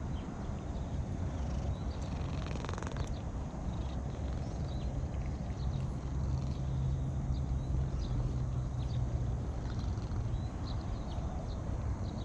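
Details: Cat purring while being stroked: a steady low rumble runs throughout, with a slightly louder stretch in the middle, over faint background hiss.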